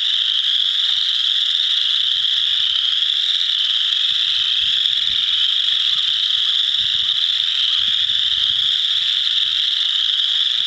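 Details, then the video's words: Chorus frogs calling in a frog pond, a few wood frogs among them: dense, unbroken high-pitched trilling chorus from many callers, steady throughout, with scattered low rumbling thumps underneath. "Chorus of chorus frogs"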